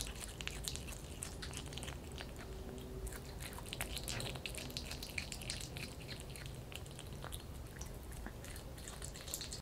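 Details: A kitten feeding on raw chicken, its chewing heard as scattered moist clicks and crunches at an uneven pace, fairly soft, with a faint indoor hum.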